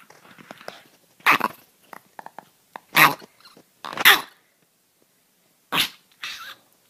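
A dog gives loud, harsh barks in irregular bursts, with softer snuffling sounds between them.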